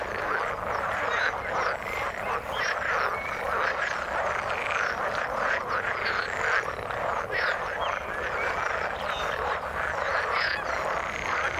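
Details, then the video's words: Frogs in the water giving a thick, steady chorus of croaks, many callers overlapping into a constant rattling din with scattered short chirps on top. "Frog sound in the water"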